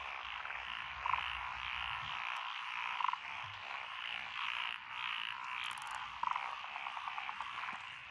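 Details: Many frogs calling from lotus rice paddies along a country lane in Echizen, Fukui, Japan, June 12, 2021. Dense rolling croak chorus with three prominent short rattling calls spaced a few seconds apart and a faint low rumble early.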